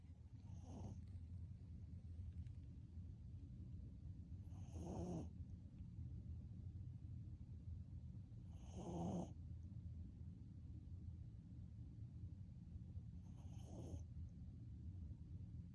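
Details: A sleeping puppy snores with dad-level loudness: steady low rumbling breaths with a louder snorting burst roughly every four seconds, four bursts in all, in a quiet room.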